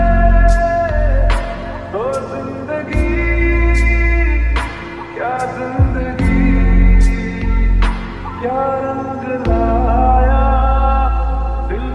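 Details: Loud music with sung melody and sliding guitar notes, plus a strong pulsing bass, and no animal voices audible.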